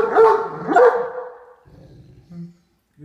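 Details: Katie, a female Great Dane, gives two short, harsh vocal bursts while eating supper in her favourite chair, a growling warning to keep her son Max, another dog, off her food; playful, not serious.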